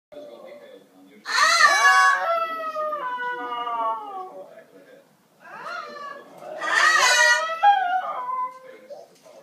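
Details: Shih Tzu dog singing along with a parrot indoors: two bouts of drawn-out, wavering howls that slide up and then level off and fade, each opened by a bright, harsh burst, with a short quiet pause between them.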